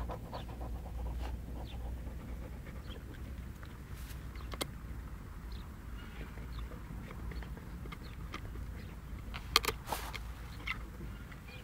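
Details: West Siberian Laika named Jeko, seven months old, panting in soft, rapid breathy bursts over a steady low rumble, with a few sharp clicks and knocks near the end.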